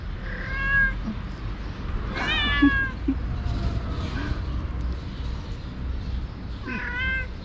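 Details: Mother cat with four active kittens, refusing to nurse them after they misbehave. Three clear, tonal meows with rich harmonics, spaced a few seconds apart, one rising then sliding down, over low household hum.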